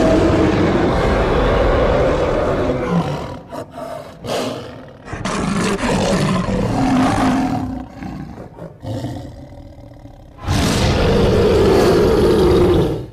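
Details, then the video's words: Lion roaring in broken bouts: choppy growls and roars over the first ten seconds, then a final loud, harsh roar of about two and a half seconds. "صوت الأسد - زئير الأسد - Lion Roar"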